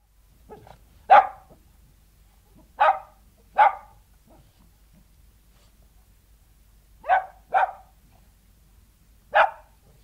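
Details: King Charles Spaniel barking outdoors, with snuffling: six sharp single barks, two close together near the start and two paired later, widely spaced across ten seconds against a quiet, still background.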